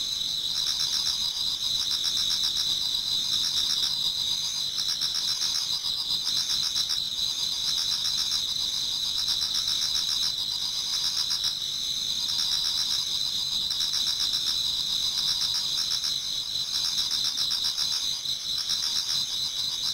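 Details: Numerous insects sing in a Japanese garden toward dawn in autumn, a constant high shimmering drone of layered trills, with softer pulsed phrases repeating in roughly two-second bursts throughout.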